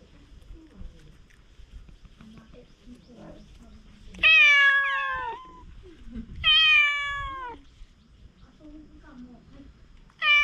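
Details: Stray cats on Aoshima, the cat island in Japan, after mealtime: three long, loud, harmonic meows about two seconds apart, each holding steady then sliding downward, over soft background murmur and faint voices.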